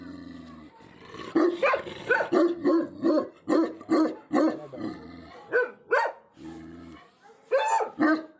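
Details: Barking Tibetan Mastiff livestock guardian dogs in Nepal's Himalaya: rapid, dense runs of deep barks with rough, growling edges, sometimes overlapping, broken by brief pauses.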